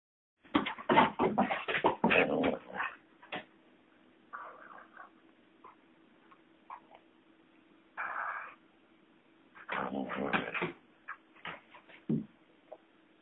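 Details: Lurcher collie cross dog playing with a rope, giving bursts of whiny, yipping play noises with brief grumbles, loud clusters at the start and near ten seconds, separated by quieter pauses and a steady low hum.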